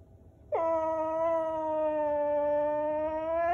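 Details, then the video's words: Dexter the whippet protests the camera with an unbroken, drawn-out whining howl. It starts abruptly, holds a fairly level pitch for three seconds and lifts slightly at the very end. "Whippet protesting camera"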